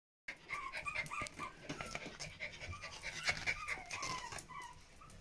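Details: Pomeranian puppies clustered with their mother, Yee Yee, producing a dense wash of breathy, rustling panting sounds with thin high squeaks scattered throughout; soft background noise underneath.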